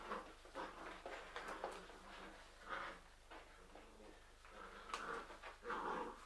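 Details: Young Labrador Retriever pups, part of a litter of seven with four remaining, whimper and whine in short rising and falling squeals, several voices overlapping in uneven bursts, indoors with faint background hum.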